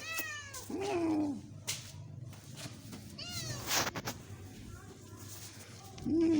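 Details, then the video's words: Loud meowing from a few-months-old pet kitten: a high falling meow, a lower drawn-out one, another high meow after a pause, and a low sustained tone at the end, with scattered clicks and knocks. "cute kitten meowing loudly"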